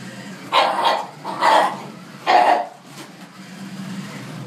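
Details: Dog facing off against a jeep: three sharp, hoarse barks in quick succession, about a second apart, then a low rumbling background.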